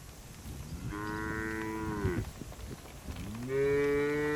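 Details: Cattle driven through forest to the shed, moving playfully; two rich, drawn-out moos, the first gently falling at its end, the second rising into a firm steady tone, over faint rustling background noise.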